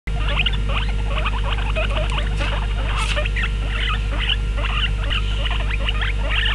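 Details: Trio of guinea pigs, two males and one female, 'talking' at meal time: rapid bursts of short squeaky chirps crowding together almost continuously, over a strong low hum.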